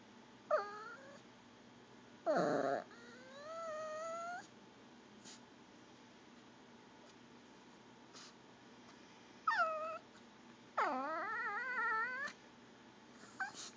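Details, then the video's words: Pet Pomeranian whining to beg for goldfish crackers; five gurgling, wavering harmonic whines, some dipping then rising, spaced by quiet gaps across about fourteen seconds indoors. "pomeranian making gurgling whine noises"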